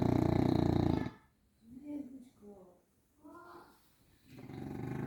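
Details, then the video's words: Snoring from Grizzly the Bulldog, a deep buzzing rattle at the start and again at the end, with faint human voices speaking in the quiet gap between the snores. "Snoring Bulldog"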